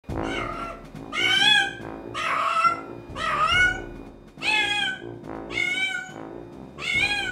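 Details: Domestic cat stranded for months on the rooftop of a 22-storey apartment building, crying to be heard by residents: six loud, drawn-out meows, each rising then falling, about one per second, with faint music in the background.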